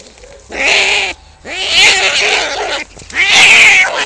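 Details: Cats fighting: three loud, raspy screeching bursts, each about half a second to a second and a half long, separated by brief pauses.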